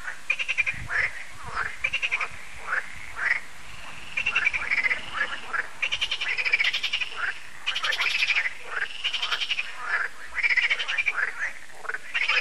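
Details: Many frogs calling together at dusk at Lac de Sabatte in France, a yearly frog concert. Rapid rattling, ratchet-like croaks come in bursts roughly every half second, overlapping in a dense pulsing chorus.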